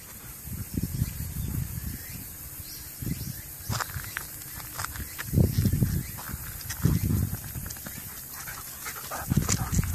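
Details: Golden Retriever cooling off in a small stream after exercise on a still-hot day, 12 September 2013; breathy, low-pitched panting bursts recur every second or so over a steady outdoor background.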